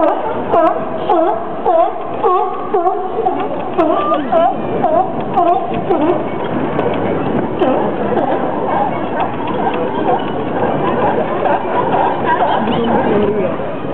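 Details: Sea lions at San Francisco's Pier 39: a run of loud, evenly spaced honking barks about twice a second for the first six seconds, then a rougher blend of many barking animals under steady chatter from visitors.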